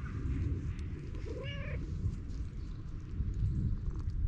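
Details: A single brief meow from a stray cat rises and falls in pitch, half a second long, over constant low rumbling background noise.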